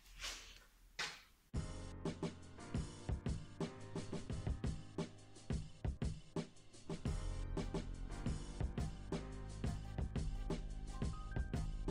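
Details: A brief quiet stretch gives way to drum-led music with bass and percussion hits, and no animal sound is heard.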